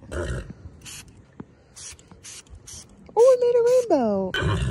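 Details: A male horse gives a loud, wavering whinny that falls away at the end, after a person's soft talk.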